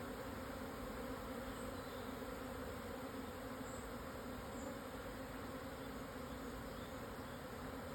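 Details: Japanese honey bee colony swarming at midday, 17 June 2024, on a highland plateau at the southern foot of Yatsugatake, Yamanashi, Japan; continuous massed humming with a warm low drone, and faint high chirps in the background.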